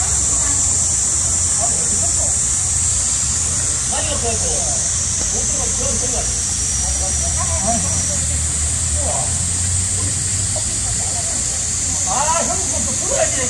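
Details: Heat-wave cicadas droning in midsummer, an unbroken high-pitched buzz dominating the scene while scattered human voices and low background rumble come and go beneath it.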